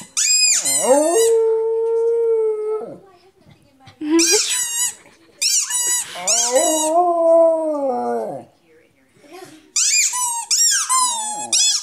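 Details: A domestic dog gives repeated drawn-out howls, some held steady for over a second, others bending up and down, interspersed with high yelping whines and brief quiet gaps.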